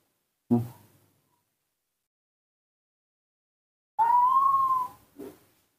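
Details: Nomi, a hand-raised baby female monkey, calls for her milk as she does every morning: one sustained whistled coo, steady with a gentle rise and fall, ending in a short soft note after an earlier thump indoors.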